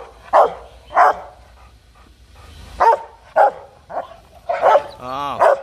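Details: A Rottweiler in an aggressive fit gives loud, deep, harsh demanding and threatening barks, roughly one each second.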